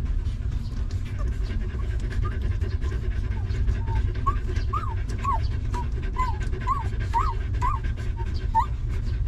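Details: Stray mother dog and her litter of puppies, given shelter and food; rapid panting underlies a run of about ten thin, rising-and-falling squeaky whimpers in the second half, spaced roughly half a second apart.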